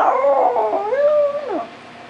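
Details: A pet male Chihuahua 'sings' in a continuous wavering howl for about a second and a half. The pitch rises gently, holds, then drops away at the end. A person encourages it just before and after.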